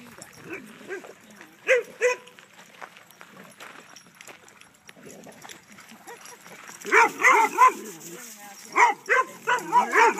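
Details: Kaido, a dog at a dog park, barking to invite play and to get another dog to chase him. Two short barks early, then a rapid volley of harmonic barks near the end, with a woman's voice and open-air park background.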